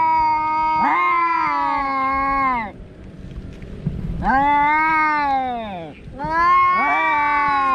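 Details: A cat gives three loud, sustained meows, each about two seconds long and steady in pitch with a slight rise at the start, separated by brief quieter pauses.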